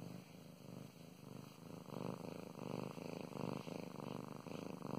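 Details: Mow Mows, a pet cat, purring under gentle petting: a soft vibrating rumble growing louder in the second half, breath cycles roughly every second.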